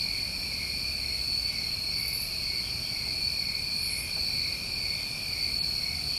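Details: New England crickets in summer trill steadily and without a break at two high pitches; a couple of faint raspy bursts sound higher up around the middle, over a quiet low background.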